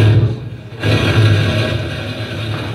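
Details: A blue whale's powerful call comes through as a deep, steady, thumping hum, heard only in its upper harmonics, with the fundamental frequency inaudible.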